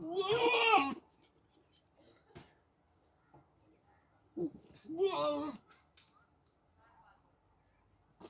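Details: Two farm goats in Pakistan fighting intensely over eating corn; loud, human-like harmonic screams, one about a second long at the start, then a broken pair around four to five and a half seconds, with quiet room noise between.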